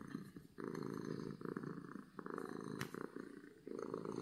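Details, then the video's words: Contented domestic cat giving loud happy purrs: a dense low rattling hum in bursts of about a second, separated by brief quiet breath gaps, plus one sharp click. "Cat Purring from Happiness"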